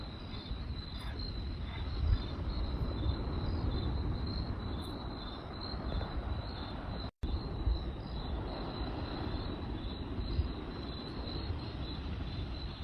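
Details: Crickets at night chirping in a steady, rapidly pulsed high trill that runs throughout, beneath the louder roar and occasional pops of a crackling campfire, with a brief silent gap midway.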